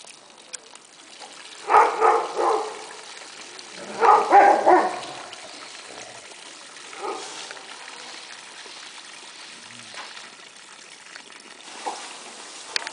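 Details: Gray wolves in an enclosure at the Oregon Wolf Sanctuary, 27 August 2006, give two bursts of short, gruff barks, each a quick cluster of rough yelps.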